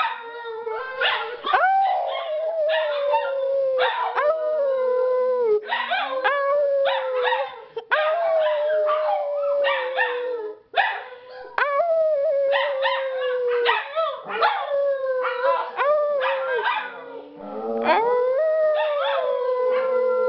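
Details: Household dogs howling in chorus after people prompt them: long, slightly falling howls held for several seconds, interrupted again and again by clusters of short barks and yips, with a low whining voice underneath.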